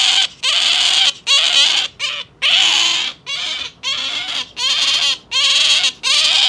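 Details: Pet otter kept at home screaming loudly in harsh, high squeals, about eight bursts of roughly half a second to a second each, closely spaced and insistent.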